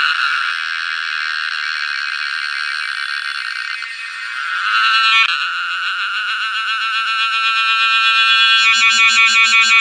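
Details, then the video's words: A cicada in summer gives a loud, continuous high buzz, steady at first and then pulsing more strongly. "CICADA " The Sound Of Summer " // Shortest lifespan Bug//Insect"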